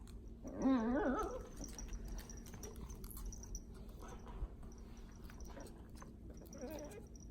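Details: Female dachshund puppy making happy sounds while doing a happy dance inside her blanket bed: one wavering, rising-and-falling whine near the start, soft rustling afterwards, and a faint short whine near the end.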